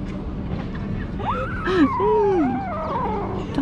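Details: Kitten tasting treats for the first time gives a drawn-out tonal meow that falls in pitch, followed by a shorter wavering cry. A steady low electrical hum runs underneath throughout.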